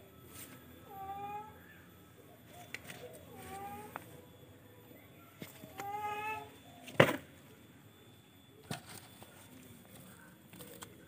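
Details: Soft, short meows from a charcoal F1 cat repeated about every two and a half seconds, three in all. A sharp knock follows near seven seconds, with scattered taps and low background hum.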